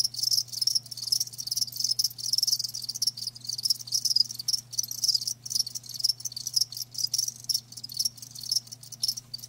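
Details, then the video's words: Many live crickets chirp together, a shrill high-pitched trill broken into quick bursts and short pauses, over a constant faint low electrical-sounding hum. "Live Crickets 60min "Natural Sound""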